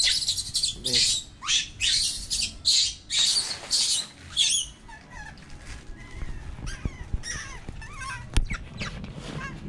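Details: Baby marmoset kept as a pet, crying to go out while a woman talks to it; about seven loud, harsh, broadband cries roughly every half second, then softer chirps under speech.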